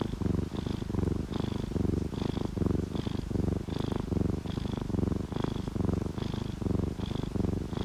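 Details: Relaxed ginger tabby and calico cats purring while sleeping, mixed with steady rain and dripping raindrops; a continuous low rumbling purr pulses roughly once a second, with faint higher ticks of falling drops throughout.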